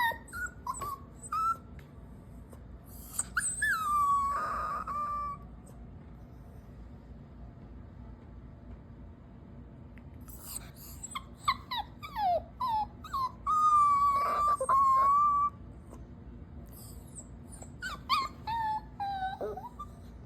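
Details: Dog whining with guilt after taking socks, in bursts of short whimpers and longer level whines, each lasting a couple of seconds, separated by quieter pauses; laughter and a scolding voice in the background.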